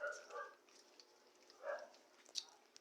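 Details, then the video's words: American Bully puppies while eating: two short, tonal whimpering bursts, one at the start and one near the middle, with faint clicks and smacking between them. "Puppies eating."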